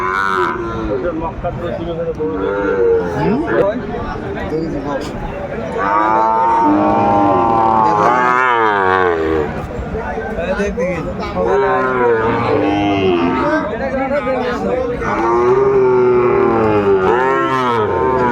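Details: Cattle market in Kurigram, Bangladesh, trading Sahiwal bull calves on 14 December 2024: a long stretch of repeated, overlapping moos, some bending upward then falling, mixed with crowd chatter.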